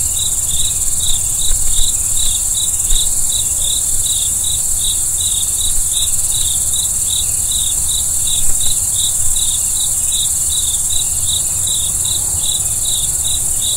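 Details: Cricket chirping after dark: quick, high-pitched pulsed chirps repeating several times a second without pause, over a bright steady insect hiss, with occasional faint clicks and a low rumbling background.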